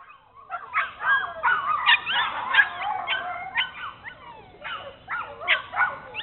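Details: Bernese Mountain Dogs Mrs. Red and Mr. Green of Cape Bernese Kennel on an exploration tour, giving dense high squeaky whimpers and yips, rising and falling, bunched in quick overlapping bursts, with short quiet gaps.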